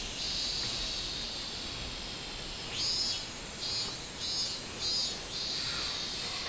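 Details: Minmin cicada singing, 24 July 2016. A steady shrill drone gives way to a run of five or six loud buzzy pulses spaced roughly half a second apart, then eases off.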